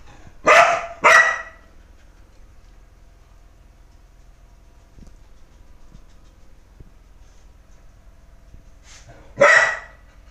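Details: Dog barking: a quick pair of loud, broad, harsh barks at the start, then near silence with faint ticks, then a third bark near the end; no other animals heard.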